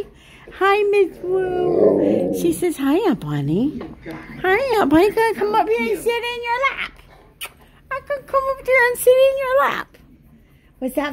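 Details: Indoor duet of a Malamute and a Blue Bay Shepherd howling together; varied sliding howls, short whimpering yelps and rising-falling wails in bursts, a quiet stretch, then another burst of howling.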